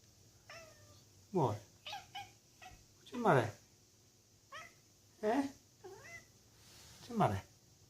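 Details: A Bengal kitten gives strained, rising meows while looking out of a conservatory, with a man asking what's the matter in between.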